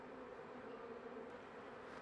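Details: A thin honey bee colony struggling to survive late winter gives a brief, steady hum. The low, even buzzing is tinged with a faint hiss.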